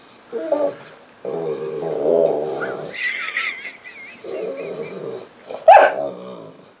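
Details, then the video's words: Pet Saint Bernard bitch on the couch whimpering for attention, wanting to be petted: low moaning whines in uneven bursts, a wavering higher tone in the middle, ending in a short sharp yelp. "St Bernard Dog Crying for Attention"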